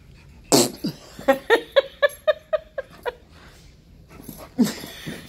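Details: Husky and Malamute playing their nightly couch zoomies indoors; a run of about eight short, harmonic grunting yips, evenly spaced roughly every quarter second, opens with a sneeze-like burst and ends with a snort.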